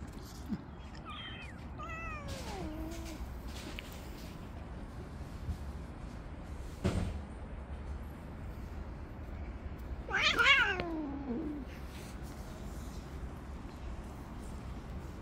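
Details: Tabby cat living on the street, jealously driving off other approaching cats, gives a wavering meow early on, then a sharper, louder descending meow later, separated by quiet stretches with a single soft knock in between.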